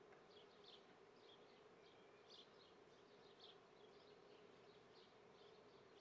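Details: Swarming-season honey bees in Treviso, Italy, recorded 22 May 2010 at 9:30 in the morning at a beekeeper's apiary: a continuous low hum filling the background while birds chirp repeatedly and brightly over it.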